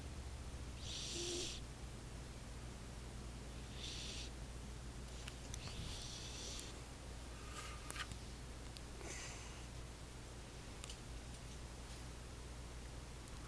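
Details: Roxy, a sleeping pet cat, snoring softly: airy hissing breaths in short bursts about every one to three seconds over a steady low hum.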